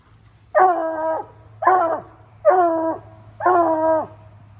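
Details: Treeing a raccoon, the Bluetick Coonhound Ol Blue gives four drawn-out bawls, roughly one per second. Each holds a steady, rich tone for over half a second before sliding down.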